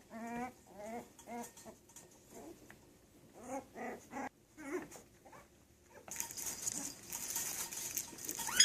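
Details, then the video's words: Yorkshire Terrier puppies at play give short bursts of high, wavering whimpering yelps, with a few quieter squeaks in between. A loud hissing rush of broadband noise fills the final seconds. "Yorkshire Terriers Puppies"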